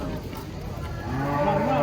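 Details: Cattle coming down off a truck, meant for qurban: after a second of crowd noise, a low harmonic moo starts and swells, while men talk excitedly nearby.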